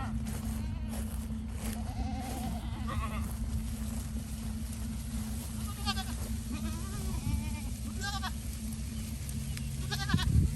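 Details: Goats kept on a portable goat-farming operation, bleating repeatedly at irregular intervals: wavering, quavering bleats spaced a second or two apart, over a steady low droning hum and background noise.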